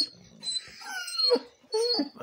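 A Basset Hound gives high, strained screeches with wavering, rising and falling pitch.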